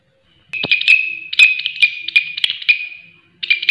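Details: Grasshopper calling loudly. A long, shrill, pulsing buzz runs for nearly three seconds, rapid raspy chirps layered over a sustained high ringing note that fades out. Then it restarts abruptly. A few faint clicks are heard.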